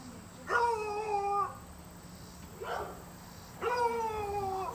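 A beagle bays in long, drawn-out tones that sag slightly in pitch, with a short yelp between.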